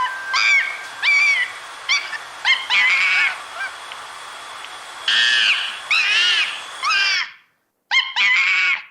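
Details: Monkey playing in its natural habitat, giving short arched, shrill harmonic cries in quick bursts, several overlapping, then a brief silence before two more piercing calls.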